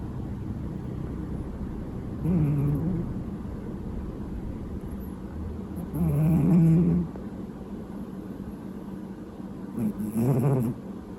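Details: Sleeping domestic cat giving loud snores likened to an old man's; three deep, rattling snores about four seconds apart, each lasting under a second, over a steady low background hum.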